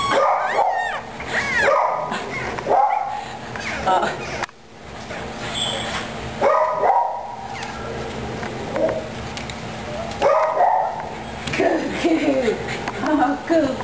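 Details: Cavalier King Charles Spaniel puppies just moved into a puppy pen, the big male upset about it: short arched whines recur every second or so, mixed with a woman talking and handling noise.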